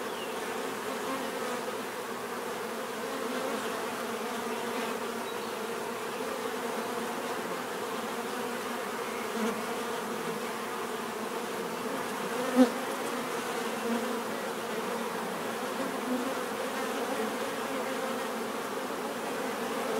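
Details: Bees buzzing in a steady, continuous drone, a dense hum with layered low tones holding evenly throughout, one brief sharp click partway through.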